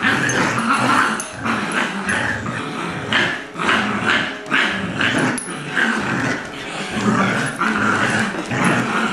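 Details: Two dogs pull in a tug-of-war match: a two-year-old adopted Lab mix named Colby and Jack, a six-week-old Golden Retriever. They growl constantly in rough pulsing bursts, broken by short higher yelps and whines.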